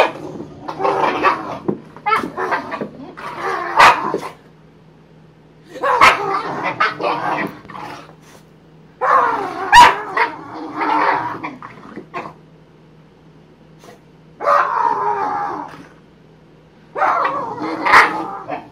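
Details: Boxer dogs play fighting, giving bursts of rough growling barks and yips in clusters lasting one to two seconds, separated by short quiet gaps, with a faint low hum beneath.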